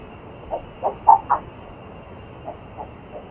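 A red-footed tortoise gives short, hollow, cluck-like notes: four in quick succession, then three softer ones spaced about a third of a second apart, over a low hiss.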